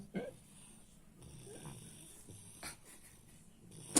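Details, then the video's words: French Bulldog named Baks snoring: soft, raspy, low breathing snores with nasal snorts, a sharper snort midway and a loud noisy burst at the very end. "Французский бульдог Бакс храпит"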